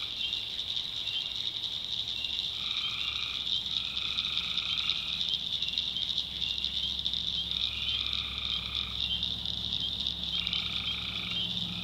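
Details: Tree frogs at night in a backwoods swamp of North Carolina: a piercing continuous trill with drawn-out, two-toned droning calls arriving in groups of three or four, and faint low hums below.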